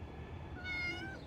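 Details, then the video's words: Stray female calico cat giving one short, flat, harmonic meow over steady low background hum. "Calie the Stray Calico Female Cat."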